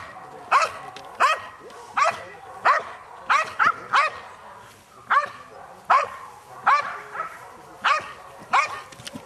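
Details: During French Ring decoy work at the 2009 NARA Championships, a 7.5-year-old female Belgian Malinois guards an object and faces an attack. About twelve forceful barks sound at roughly 0.7-second spacing, some doubled, over a low background murmur.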